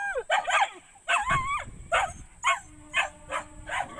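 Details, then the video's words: Dogs barking in rapid succession, about eight sharp barks in four seconds, several with a yelping, bending pitch, against a faint low rumble and a steady high hiss. "dogs barking"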